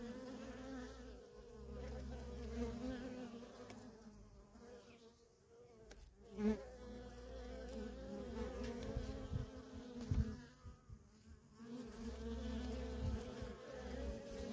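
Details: Worker honey bees streaming in and out of a feral colony, a continuous buzzing drone that rises and falls as bees fly close, with a few louder individual passes.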